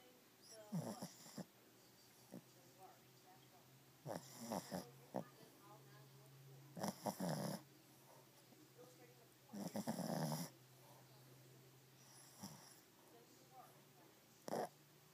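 A Shih Tzu snores in rough, raspy bursts, one every few seconds with quiet gaps between.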